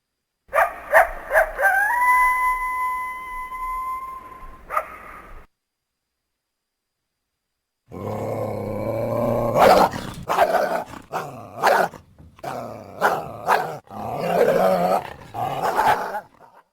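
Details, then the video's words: Coyotes: a steady harmonic howl that steps up in pitch and holds, then a pause of silence, followed by a burst of overlapping yips, barks and wavering howls in a noisy chorus. "Coyotes Sound"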